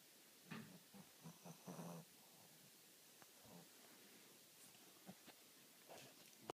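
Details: Willis the Shih Tzu snoring in sleep, with a cluster of low, rattling snorts early on, then fainter breathy snuffles and small clicks.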